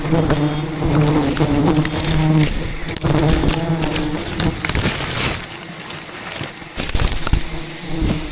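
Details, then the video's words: Angry wild bees attacking while a giant hidden beehive is harvested in dense rainforest by traditional honey hunters; thousands defend the colony with a steady low droning buzz, band of hum with shifting overtones and sharp clicks and knocks over it. "ATTACKED by Angry Bees While Harvesting a Giant Hidden Beehive"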